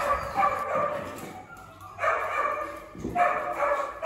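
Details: Valencia, a female American Staffordshire Terrier puppy up for adoption at a shelter, largest of a litter of five; three loud, harmonic barks, the first around half a second in, then a pause before two more barks roughly a second apart, over constant background hum.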